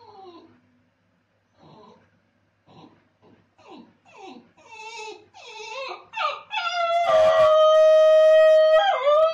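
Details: Basenji alone after its owner has left, starting with a series of short falling whimpers and yips that grow louder and closer together, building into a long steady full-throated howl indoors.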